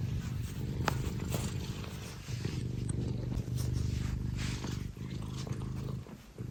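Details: Scottish Fold cat Tino, a cuddly pet, purrs loudly and steadily, a low motor-like rumble with rhythmic pulses, broken by a few light clicks and small handling noises.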